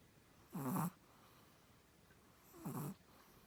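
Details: Snoring from the sleeping Chihuahua Samdol: two rough, breathy snores, each lasting under half a second, about two seconds apart, in near silence.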